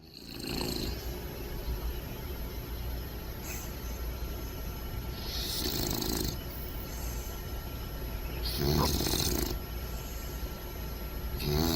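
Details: Bentley, a bulldog puppy a few months old, sleeping upside down and snug, snoring and snorting; broad rasping snore bursts around 1, 6 and 9 seconds over a steady low hum.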